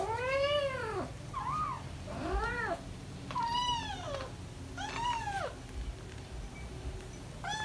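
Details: British Shorthair kittens almost five weeks old, four of them, playing and running around indoors; a run of five or six clear, arched meows that rise and fall, about one per second, over a low room hum.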